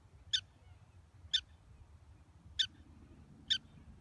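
A black-tailed prairie dog gives short, sharp chirps, repeated roughly once a second.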